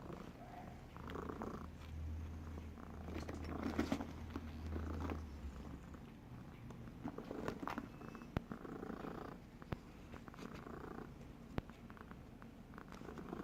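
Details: Bogart, a domestic cat, snoring: deep rumbling that rises into a louder low drone early on, then softer wavering rasps with a few brief sharp clicks.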